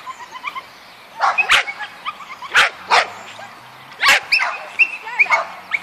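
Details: Linus, a Yorkshire Terrier doing agility, barks sharply in spaced pairs roughly every second and a half, bright and high, with brief yappy notes and faint voices in the background.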